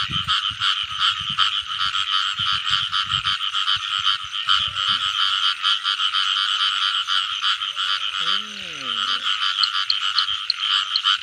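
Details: Frogs in the rainy season during a frog-catching outing: a dense, steady pulsing chorus of high rattling croaks throughout, with a brief low wavering voice near the end and soft low thumps early on.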